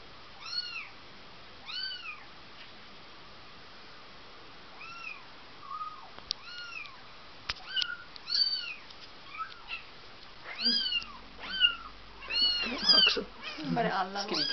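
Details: Bengal kitten Rudie, aged four weeks, at the breeder's in December 2007, repeatedly crying with arched, high meows, sparse at first then crowding together toward the end, mixed with rustling handling noises indoors.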